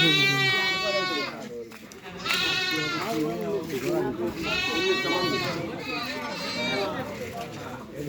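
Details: Young goat kid bought on a Monday at the Koijuri goat market gives several wavering, nasal bleats, each about a second long, over background music and market chatter.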